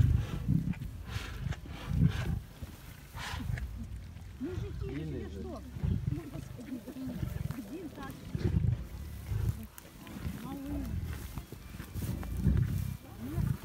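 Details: Feeding lions in Taigan park rumble deeply at dinner: heavy low growls pulse every second or two, loud swells near the start and end, with human voices talking over them.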